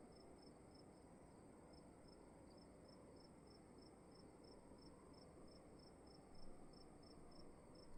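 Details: Cricket in a dark room at night giving a thin high chirp repeated steadily about every half second, over a constant low rumble with a brief louder thump near the end.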